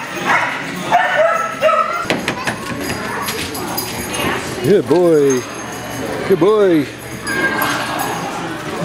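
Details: Italian Greyhounds playing together at Mantayo Kennels in Denver, Colorado, during a Sunday morning playdate hosted by Italian Greyhound Rescue of Denver, January 26, 2014. Two loud arched yelps, each rising then falling with strong harmonics, come about two seconds apart over human chatter and scuffling.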